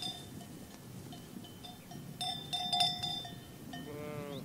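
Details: Sheep herd grazing in a green pasture: a steady ringing of clanking bells dominates, then near the end one short, wavering bleat with a quavering, slightly rising tone, over a low outdoor rumble.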